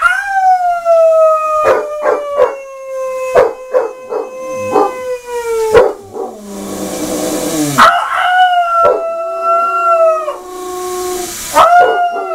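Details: Basset Hound howling during a shower: long, loud, richly harmonic howls that slowly sag in pitch, interrupted by short yelps and bursts of rushing water, then a higher renewed howl.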